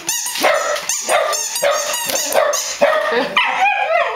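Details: Short burst of dogs barking, with quick, strong barks roughly every half second, ending in higher whining yelps.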